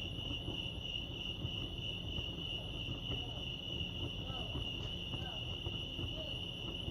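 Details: Crickets at Lake Arrowhead, California, keep up a continuous high, rapidly pulsed trill while faint distant voices or other sounds murmur in the lower background.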